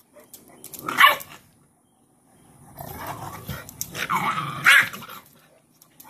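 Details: Cane Corso mother dog named Cashmere disciplining a bullying female puppy by pinning her in a submission posture; two sharp rasping outbursts separated by a stretch of low, rumbling growling indoors.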